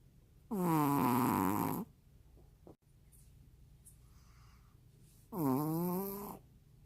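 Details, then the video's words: Juni, a Maltese dog, asleep indoors and snoring: two loud buzzing, nasal snores over a second long each, spaced roughly four seconds apart, with faint rustling in the quiet gap. "말티즈 주니 코골이~"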